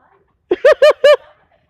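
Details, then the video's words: Squirrel yelling at the person filming during a nearly ten-minute tirade: three loud, harsh barks in quick succession after a short lead-in note, each bark rich in overtones, with no other sounds. "Getting yelled at by a squirrel"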